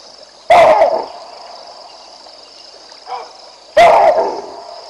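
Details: Alarm barks from baboons as the lion Vincent passes along the Olifants River: a sharp bark, a softer one near three seconds, then another loud bark, with a constant high insect hum behind.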